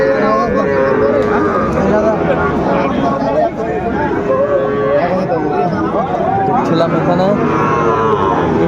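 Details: At Ambari cattle market on 4/4/25, Sahiwal bull calves sold to Chattogram farmers give a series of wavering moos, several animals calling in turn through a busy background of voices.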